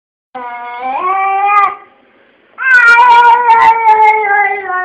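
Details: Kesha, a pet cat, voicing what seems a complaint about its fate; two long, drawn-out meows, the first rising slightly in pitch, then a pause, then a louder, sustained, wavering wail in a quiet room.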